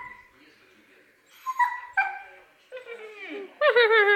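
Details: Siberian husky singing: soft, faint whining at first, then short rising and falling tonal cries ending in a louder, warbling howl.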